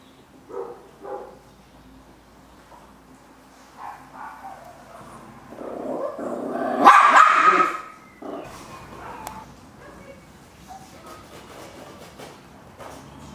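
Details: Chihuahua puppies indoors: a few short, sharp yaps early on, then a loud, harsh burst of overlapping barking for about two seconds, followed by quieter scattered yips and rustling.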